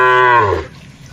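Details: Cattle grazing in a wide plantation, one short moo about half a second long, a harmonic low call that falls and fades quickly into quiet.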